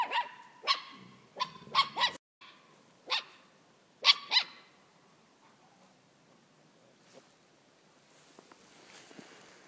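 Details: Dog in a scuffle with other dogs, recorded on an iPhone 4S: loud, shrill barks in quick clusters over the first four seconds, then fading into quiet background rustling with only faint distant sounds.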